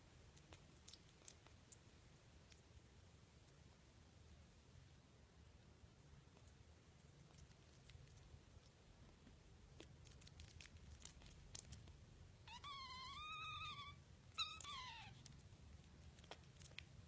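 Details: A small kitten in a quiet indoor room gives two short, high, arched meows near the end, the first rising then falling, the second a briefer falling cry, after a stretch of soft tapping and rustling.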